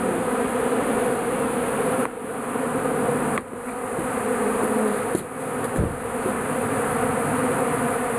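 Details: Many bees swarming inside a shed, drawn to melting beeswax with leftover honey; a dense, continuous droning hum fills the whole recording, broken by a few brief thuds and knocks.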